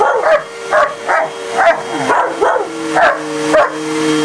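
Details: Domestic German Shepherd, alongside a shepherd/husky mix, going after a vacuum cleaner; about seven short, high, yelping barks roughly every half second against the vacuum's steady tonal whine.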